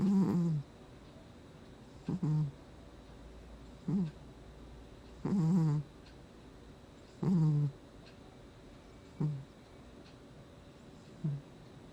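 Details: Gnusmas the sleeping cat snoring, August 2020: a steady run of eight or nine short, nasal, squeaky snores, some doubled, every one to two seconds, each with a faint wheezy hiss.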